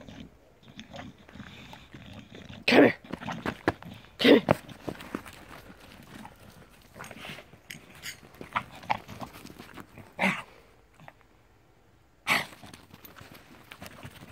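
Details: Bulldog playing in the snow: loud, rough snorting grunts burst out in short broadband blasts near the third, fourth, tenth and twelfth seconds, with quieter snuffling and scuffling sounds between them.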